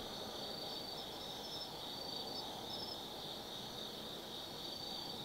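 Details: Insects of the autumn forest at Tsukimi no Mori in Kaizu, Gifu, singing at night: a steady high ringing chorus dotted with quick chirping notes, over a faint low murmur.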